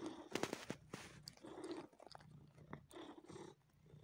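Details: Domestic cat sucking and massaging a person indoors, giving a low rumbling purr in uneven bursts mixed with wet sucking and smacking clicks; the purring fades out during the last half second.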